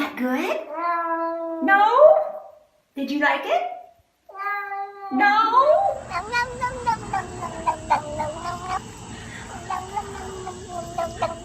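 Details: Domestic cat making weird noises: a series of drawn-out, harmonic meows, some wavering and rising then falling, separated by short pauses over the first five seconds, followed by background music and voices.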